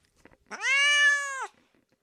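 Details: A single cat meow lasting about a second, starting with a quick upward slide and then holding a flat, steady tone before stopping abruptly, with faint soft clicks around it.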